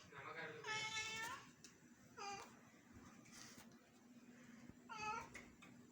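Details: Bangalore house cat, eager to play with a house lizard, utters three quick meows, the first longer and rising, over a steady low room hum.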